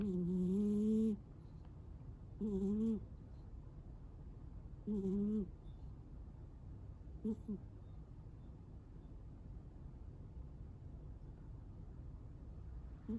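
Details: Sleeping Munchkin cat snoring loudly: four tonal, wavering snore bursts, each half a second to a second long, spaced roughly two to two and a half seconds apart, the later ones fading, over a steady low background hum.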